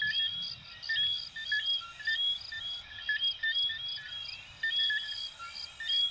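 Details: Coquí frogs from Venezuela and Puerto Rico in a dense chorus: short whistled two-part notes, some sweeping upward, overlapping in an irregular stream, with a steady high pulsed chirping layered above.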